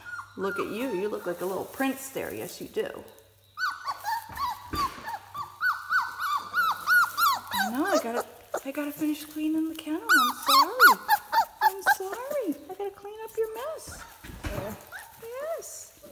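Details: Several four-week-old puppies in a kennel whine together, with long wavering cries and short squeaks overlapping throughout, and a low hum running underneath.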